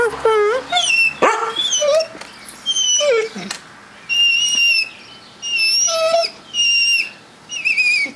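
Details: House mastiff whimpering and yipping indoors, a run of high, wavering whines and squeaky yelps repeating in bursts about every second, with a person talking between them.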